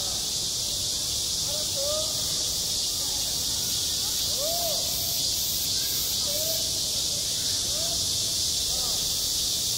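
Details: Cicadas at a school playground in midsummer keep up a steady, piercing drone; soft distant voices, probably children, come and go beneath it.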